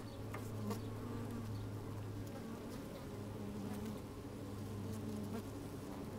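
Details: Working honey bees heard from a microphone inside an opened hive on a sunny, somewhat windy day; an even, unbroken low hum with soft harmonic layers and sparse faint clicks from bees moving about.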